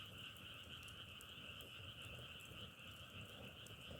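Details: A frog chorus at night near burning firewood: continuous layered trilling with a shimmering pulse, never pausing, while faint crackling from the fire snaps now and then.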